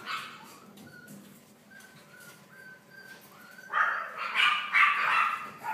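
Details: Litter of Boston Terriers born on 3 May: thin, level whimpering whines repeated softly for a few seconds, then breaking into loud, rapid, shrill yips toward the end.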